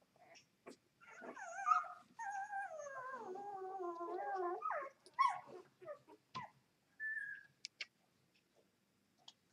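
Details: Two-day-old Vizsla x Labrador puppies, mother a Vizsla and father a Labrador, give a long whimpering whine that bends up and down in pitch for about three seconds, followed by short yelps and squeaks with brief quiet gaps between them.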